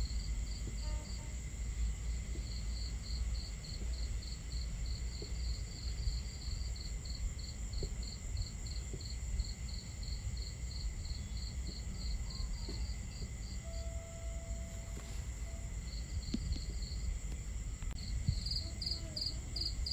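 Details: Crickets chirping on a starry night at a campsite: rapid, evenly pulsed high chirps in short runs over steady shrill tones, beneath a dense low rumble of crackling fire and running water.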